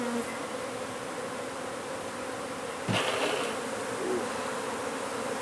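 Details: Swarming honey bees from a hive removed from under a wood pile in McAllen, Texas, producing a thick continuous buzz; a sudden thud near the middle and a passing higher whine from a nearby bee.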